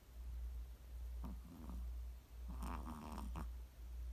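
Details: Chihuahua snoring: low rumbling breaths rising and falling at a steady pace, broken by buzzy, nasal snorts around the middle and end, in a quiet indoor setting.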